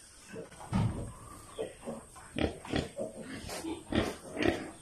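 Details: Sow with a small litter on a provincial piggery farm grunts loudly and irregularly, deep short snorting bursts in uneven clusters, with faint farm background noise.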